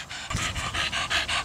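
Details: Donut, a 13-year-old Staffordshire Bull Terrier cross, pants in quick rhythmic breathy bursts, roughly seven in a second and a half, steady and hissy with a faint low rumble beneath.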